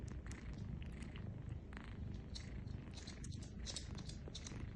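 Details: Kittens nursing from their mother cat: rapid soft wet clicks and smacking from suckling over a steady low rumbling purr throughout.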